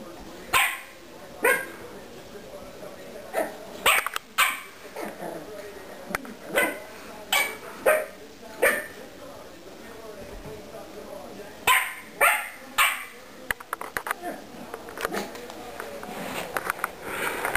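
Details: Pug puppy barking at a vacuum cleaner indoors: sharp, high, yappy barks in irregular bursts, often doubled or tripled, with short pauses between runs; steady background noise and some human talking throughout.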